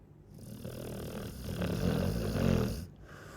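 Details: A Chow Chow dog snoring: one long, rasping inhaled snore with low, buzzy harmonics that swells over about two seconds and then fades.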